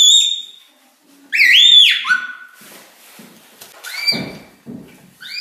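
A red panda gives high, thin whistled squeaks that rise and fall in short bursts.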